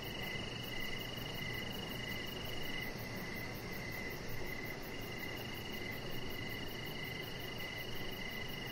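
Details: Evening crickets near a deck with a chihuahua puppy lying nearby: a regular series of brief pulsed chirps, a continuous shrill trill slightly higher, faint rapid ticks high up, over a constant low rushing background.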